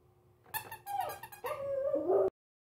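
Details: Pomeranian in a small room, unsure about an unfamiliar squeaky toy: a burst of squeaky, yipping notes, then a sustained nasal whine that wavers and drops in pitch before cutting off.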